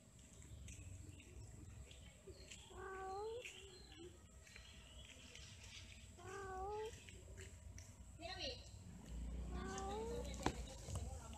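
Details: Cats mating and quarrelling: four short rising meow-like cries come at irregular gaps of one to three seconds, each bending upward, mixed with faint background talk and a sharp click near the end.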